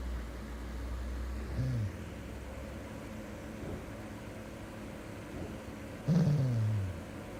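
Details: Golden Retriever snoring: a low rumbling hum runs through, broken by two louder snorts, a short one near the second and a longer drawn-out snore near six seconds, falling in pitch.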